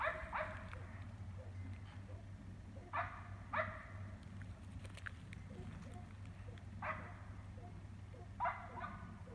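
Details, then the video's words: Neighbour's dog barking about 400 feet away at night, around 9:30 pm in Emmett, Gem County, Idaho; sharp barks come in pairs and singles with gaps of a few seconds, over a low steady hum. "Non Stop Barking for 3 Hours"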